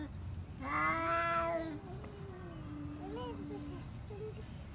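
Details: Pet cats fighting at home: one long harmonic yowl rising sharply then holding a steady drawn-out tone, followed by quieter wavering moans and short mewing notes over a low background hum.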